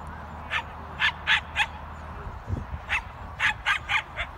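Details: Irish Wolfhound Feorish Bran, an Irish Junior Champion, giving eight short, sharp barks in two loose bursts, three or four in quick succession each time, over a faint low hum.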